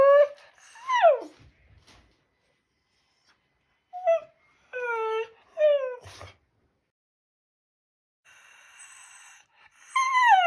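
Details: A Shiba Inu talking to its owner indoors: a series of clear, drawn-out whines that slide steeply downward, some short rising-falling yelps between them, pauses of silence, then a faint hiss and a final loud falling whine.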